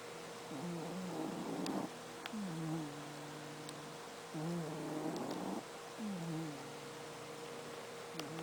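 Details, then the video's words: Domestic cat snoring like an old man, slow rhythmic cycles of a rough, raspy inhaled snore followed by a softer, tonal exhaled wheeze, repeating about every three to four seconds over a steady hiss. "SNORING KITTY CAT"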